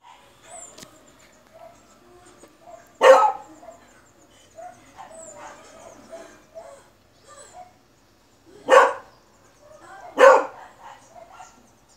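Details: Beagle dog barking outdoors: three sharp, loud single barks spaced several seconds apart, with quiet bird chirps and faint background noise between them.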